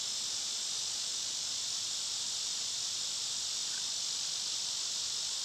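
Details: Summer cicada chorus, loud at this season, forms an unbroken, hissing high buzz at an even level throughout, with no other clear sounds.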